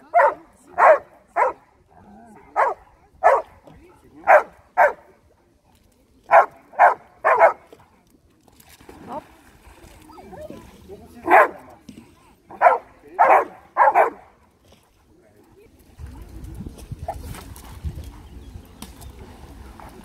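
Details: Two Labradors, Max and Raja, recorded on 23 May 2020; a run of loud, sharp barks comes in irregular bursts, often paired, over the first fourteen seconds, followed by a low rumbling background and quieter noise.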